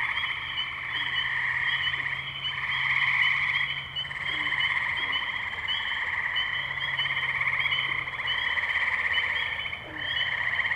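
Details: Wetland chorus of tree frogs, Firestone Park, Columbiana, Ohio, May 6, 2023, Zoom H2n recorder: many overlapping buzzy trills merge into a steady high drone, rising in loudness around the middle, with sparse low croaks.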